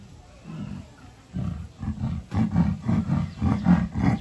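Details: Ike, a captive leopard at Tobe Zoo, Japan, recorded 18 July 2020: a soft low rumbling at first, then from about a third of the way in a run of deep, hoarse, sawing grunts, roughly two per second, growing louder toward the end.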